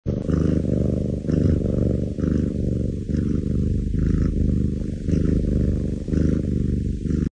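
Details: Cat beside a baby purring loudly and steadily: a deep, rumbling, continuous purr pulsing in long cycles of roughly one second, with brief breaths between.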